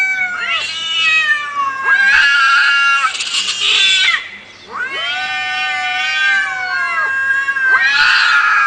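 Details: Fighting cats giving loud, sustained, strained yowls, each long wail lasting two to three seconds with harsh hissing noise bursts mixed in, a short pause midway.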